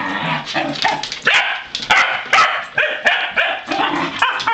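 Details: Three Pembroke Welsh Corgis on a farm being taken outside, excited mix of high yips and barks overlapping in quick bursts, several dogs calling at once with whining tones in between.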